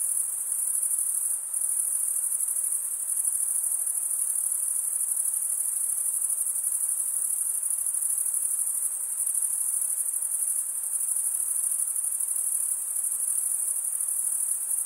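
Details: High, ringing trill of chirping crickets, males producing the sound by scraping serrated wing veins together; the dense, even drone holds unchanged from start to finish with only a faint background hiss.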